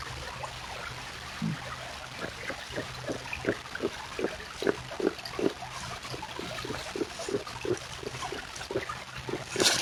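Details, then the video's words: Beavers giving soft, gentle grunts: a series of short low pulses repeated roughly every third of a second, with trickling water and wet splashing sounds underneath. "Beaver Sounds"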